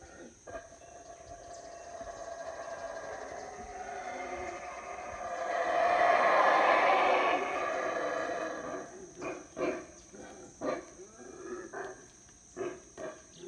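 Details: Howler monkeys begin their usual morning chorus at Howler Monkey Resort, Belize, on a rainy jungle morning: a roar builds slowly to a loud, harsh peak, then breaks into rhythmic guttural grunts repeated roughly every second.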